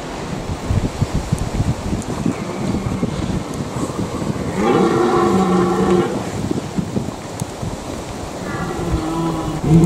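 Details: Red deer stag's rutting call in the Eifel, Germany: one loud, hoarse, moaning bellow lasting about a second and a half, then a second call begins near the end, over constant wind noise.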